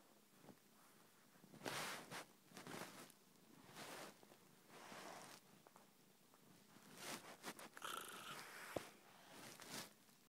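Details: A female domestic cat purrs loudly enough that her whole body shakes. The rough, rumbling purr swells and fades in bursts every one to two seconds, close to the microphone indoors.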